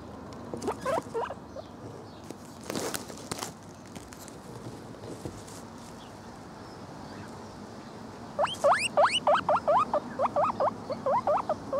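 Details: A male lemon agouti guinea pig gives a quick run of shrill, rising squeals, several each second.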